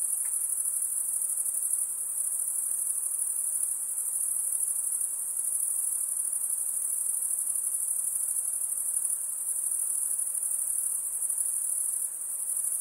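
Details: Unbroken shrill insect chorus: a high, rapidly pulsing buzz sustained at one pitch, with a faint click near the start.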